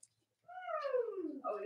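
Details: Cavalier King Charles Spaniel puppy in a litter kept indoors with nursing mothers, giving a single drawn-out whine that starts steady and slides downward in pitch, with a brief second cry rising at the end.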